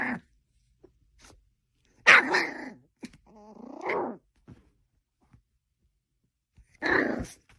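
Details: Dog in a quiet indoor room, growling low and then giving a few short, sharp barks separated by pauses of several seconds.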